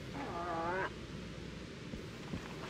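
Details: A cow moose gives a short, nasal, wavering protest moan during the fall rut; this call helps bulls locate her in thick vegetation and is thought to attract more competing bulls.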